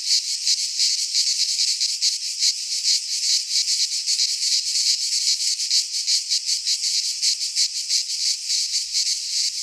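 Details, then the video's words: Greek pine forest cicadas in midsummer keep up an unbroken, high, rasping drone with quick rhythmic pulses near three per second; no birds, wind or voices intrude. "Cicadas singing in midsummer - Nature sounds from the Greek fauna - Sounds of cicadas"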